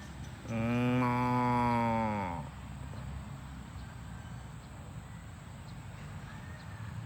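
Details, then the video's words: Cow mooing on a farm while the herd runs home to the barn: one long, loud, harmonic moo lasting about two seconds, steady then dropping in pitch at the end, followed by low rumbling background noise. "Cows Running Home to the Barn - Funny Moo Sounds"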